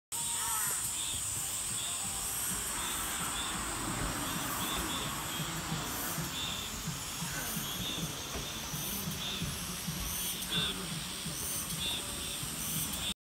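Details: Cicadas calling in Cheongju, South Korea: a steady, high-pitched buzzing hiss holds throughout, overlaid by repeated pulsing bursts of lower buzz every second or two, with faint low background rumble.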